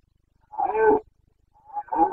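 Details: Red deer stag of the Carpathians, Bucovina, roaring in the September 2022 rut: two rough, resonant bellows, the first half a second long, the second starting near the end, with silence between.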